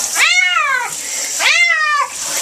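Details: Cat protesting a bath with two strong arched meows, each rising then falling over about three quarters of a second, set against constant running water.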